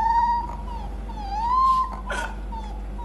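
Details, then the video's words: Young puppy discovering its howl: a thin, wavering tonal cry that dips and rises again, over a constant low hum with a short noisy burst in the middle. "Cute Puppies Howl For The First Time"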